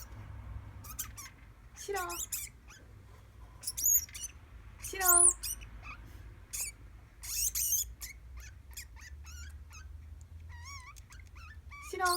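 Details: Pet degu named Shiro, which answers when called by name, giving a run of high chirps, squeaks and warbling trills in bursts over about twelve seconds, some sliding up and down, indoors with low background hum.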